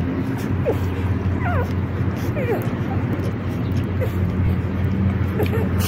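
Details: Excited litter of four puppies, only four days old, waiting as their experienced mother Rosalie teaches them calm before nursing; brief high squeaks and wavering whines come in scattered bursts above a constant low droning background.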